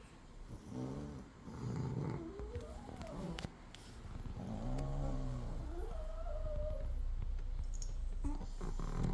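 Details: Dozing Chihuahua in a home in Crimea, overcast morning, with a poodle nearby; continuous low, rumbling snores with a rhythmic rasp, overlaid by a woman's lilting voice throughout.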